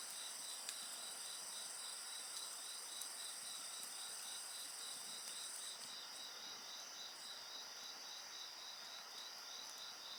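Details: Insect song heard next to a crackling bonfire: a rapid, pulsing high chirp repeated several times per second over a continuous shrill ringing drone, with occasional snaps from the fire and one layer fading partway through.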